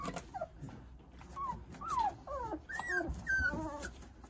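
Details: Jindo puppies, nine of them, playing under the care of their mother Sarang; a run of high, thin whimpers and squeaks, several sliding downward, overlapping in quick succession with soft rustling and shuffling beneath.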